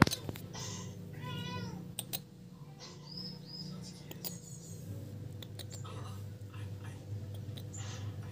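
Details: Feral kittens playing together on a piece of wood; one kitten gives a short, wavering meow near the start, followed by quieter high squeaks, over a steady low hum and soft human voices.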